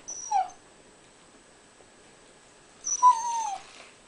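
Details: Pet husky talking to its owner while begging for a piece of toast indoors; two high, drawn-out whines, a short one near the start and a longer falling, warbling one about three seconds later, with quiet room between.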